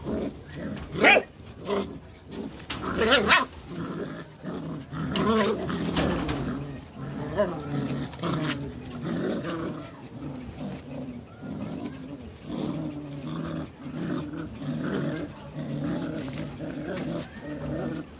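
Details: Belgian Malinois puppies growling during a tug-of-war game: low, rumbling, throaty growls that rise and fall continuously, broken by a few sharper yelps or barks near the start.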